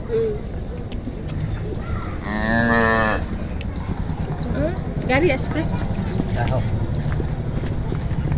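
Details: Holstein Friesian cow with her calf at the Notunhat cattle market in Joypurhat. It gives one loud, drawn-out moo of about a second, with a low, steady tone and rich overtones. Men talk and bargain around it, with market bustle and a steady high tone.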